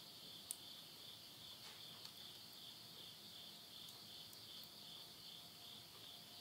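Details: Insects calling at midnight at the end of summer, September 2020, in the countryside of Yurihama, Tottori, Japan. A steady, high shimmering trill runs throughout, broken by a few sharp crackles of wood burning in a stove.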